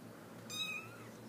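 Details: A three-week-old Himalayan kitten gives one thin, high-pitched meow that tails off slightly at the end.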